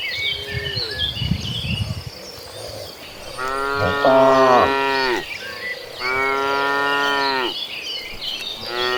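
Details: Herd of dozens of tame cattle on the move toward green pasture; after a low rumbling start, two long, strong moos follow, then the beginning of another, with small bird twitters in the background.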